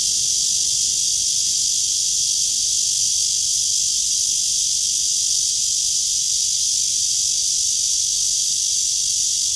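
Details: Continuous shrill drone of a cicada in a tree, recorded on a walk under a blue sky at 9:27 on August 23, 2020; the dense, steady buzz never pauses, with only faint low rumble beneath.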